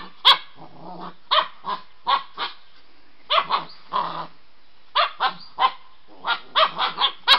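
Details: White Swiss Shepherd puppy, wildly excited while playing with another dog in the evening, gives short sharp barks and yips in irregular bursts of two to four, with soft growls between them.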